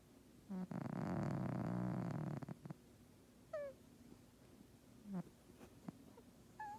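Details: House cat snoring loudly while asleep. One long, coarse, vibrating snore of nearly two seconds is followed by quiet stretches, with several short, high, squeaky descending notes scattered through.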